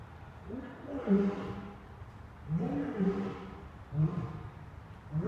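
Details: Playing lions at the National Zoo, recorded 10/31/2014, give deep, rough growling roars in three loud bursts roughly a second and a half apart, each rising then falling in pitch, over a low background hum.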